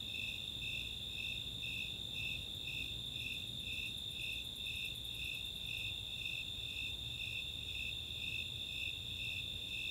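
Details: Summer night chorus of Snowy Tree Crickets and Four-spotted Tree Crickets in the Chautauqua open space, Boulder, Colorado: high pulsed chirps about twice a second over a steady higher trill, with a brief burst of rapid high ticks from Greater Angle-wing Katydids mid-clip.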